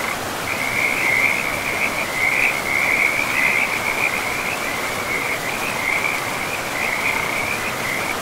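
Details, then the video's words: Frogs calling beside a river in a pristine, moss-covered forest: a near-continuous high, rapidly pulsed trill runs through the whole stretch, rising and falling slightly in loudness, over the steady rush of flowing water. "River and Frogs sleep sounds"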